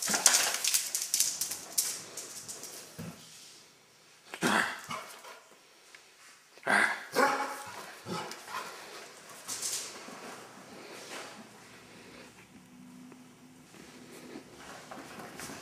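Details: Dodger, a Basset Hound, playing indoors after getting a bath: a few short, harsh bark bursts, spaced several seconds apart, with clicking, tapping and rustling sounds between them in a small room.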